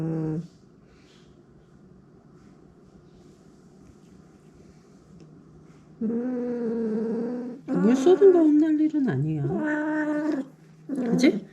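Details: Domestic cat indoors after spilling its water bowl, quiet at first over a steady low hum, then breaking into several harsh, wavering yowls of varying length.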